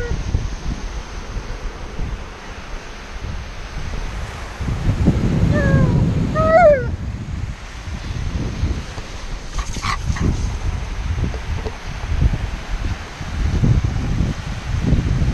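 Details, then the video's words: Tonka, an Alaskan Malamute at the beach, voices his impatience at having to sit still. A short wavering, bending howl-like cry lasts about two seconds midway, over steady surf and wind rumble, with a human voice briefly later. "Tonka the Alaskan Malamute Reacts to sitting still at the Beach"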